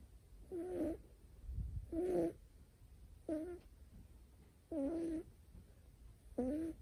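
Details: Sleeping male short-haired Scottish Fold kitten with folded ears, born 2019 and healthy, snoring: five wavering, whistle-like nasal tones on successive breaths, roughly every one and a half seconds, soft low rumble between them.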